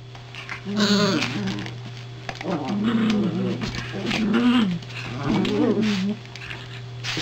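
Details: Toy poodle, one of two in the household, around a newly delivered second soft crate; wavering, moaning low whines rise and fall in several drawn-out phrases over a steady electrical hum.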